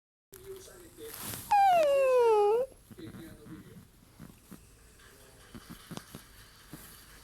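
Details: A rescue Chiweenie that looks like a miniature dachshund puppy gives one high, drawn-out whine that slides downward, crying because it is hungry.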